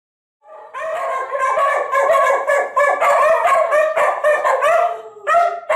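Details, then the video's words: Two pet dogs howling together indoors in answer to an older recording of themselves howling; wavering, overlapping harmonic howls rise and fall in quick, yodel-like pulses, sustained for several seconds, with a man's voice afterwards. "howl at - an old video of them howling at - an even older video of them howling"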